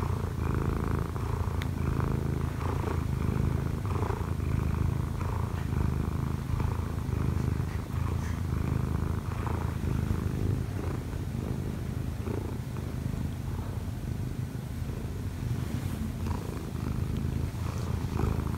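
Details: Munchkin cat Kkobugi, odd-eyed and sixteen months old, climbs onto its sleeping owner and kneads. Long unbroken low purr, rhythmic throb on each breath, light rustle of paws and bedding.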